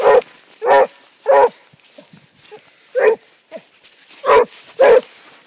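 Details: A Basset Hound on a track gives deep, hoarse barks in short bursts, several per second-long spell.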